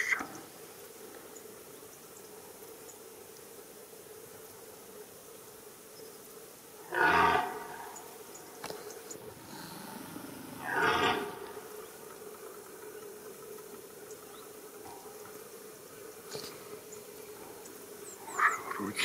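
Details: A red deer stag on a rutting ground gives two deep, rough rutting roars, each lasting a second or two.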